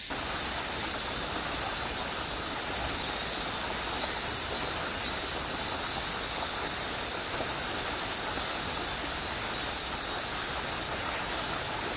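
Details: Steady loud hiss like rushing water or wind fills the whole recording, with no animal sound heard.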